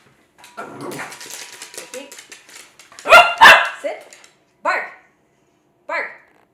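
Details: A person talks for the first few seconds, then a Cavalier King Charles Spaniel, excited by play-chasing around a kitchen island during bark-on-command training, answers with loud, clipped barks: two quick barks close together, then two brighter yaps spaced over a second apart.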